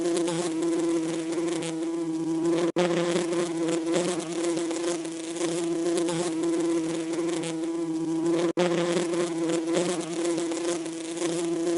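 A steady, droning buzz of bees, low and continuous with rich overtones.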